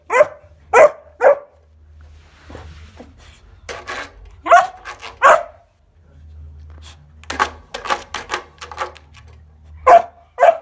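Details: Kuvasz puppy Bowie, 14 weeks, playing with a scale indoors; bursts of barking in clusters, with scuffling and clattering noises in between, a quick flurry near the middle and two last barks at the end.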